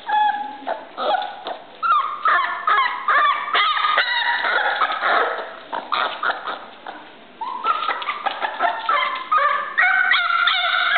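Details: Male Shiba Inu giving rapid, high, harmonic yips and whining barks. The notes come densely with few gaps, some rising or falling in pitch, then break into quick clipped bursts toward the end.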